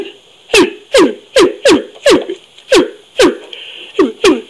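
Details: Orangutan giving a rapid series of sharp smacking clicks, each trailing into a short falling tone, roughly two per second with slightly uneven spacing, in a quiet, close setting.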